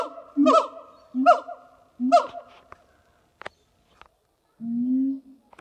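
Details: A pair of siamang gibbons at a zoo in France sing on a hot summer morning, 6 August 2018: loud, rich hoots sweeping steeply upward about a second apart, faint clicks, then one long, slightly rising closing note.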